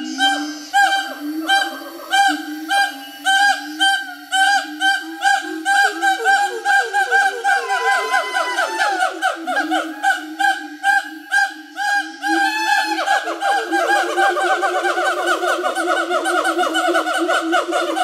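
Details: Siamangs in Bukit Barisan Selatan National Park, Sumatra, give a loud counter call of rapid, honking barks that build into long, wavering shrieks.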